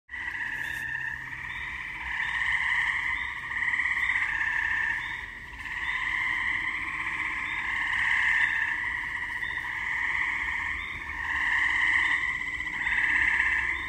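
Gray tree frogs give loud, musical trills that swell and overlap in a steady chorus.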